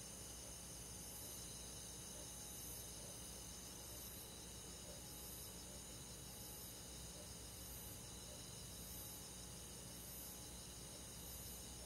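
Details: Crickets and other insects on a summer night in the countryside, a dense steady chorus of high, continuous trilling bands, with softer pulsed chirps repeating about once a second over a low background hiss.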